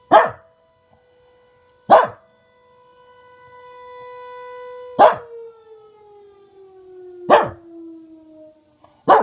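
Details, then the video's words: Reina the Welsh Corgi barks at a tornado siren, single sharp barks about every two seconds as the siren's tone swells, then slides downward. "Welsh Corgi barking and howling at tornado siren"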